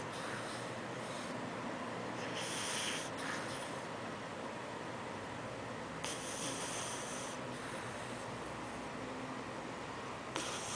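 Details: Apolo, a pet pug, snores while dreaming in his sleep indoors: long raspy, breathy rushes of noise, with a few stronger bursts near the start, around six seconds and at the end, over a steady room hiss.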